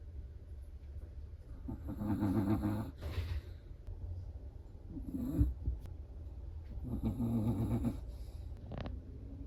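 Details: A Chihuahua snoring in its sleep: rhythmic, rough, rattling breaths, three main snores, each about one second long, rising and falling in loudness against low room noise.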